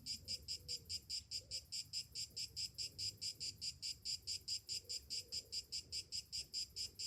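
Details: Summer cicadas singing in the morning: a high, buzzy pulsed drone repeated in even bursts about twice a second, steady throughout with faint low rumble beneath.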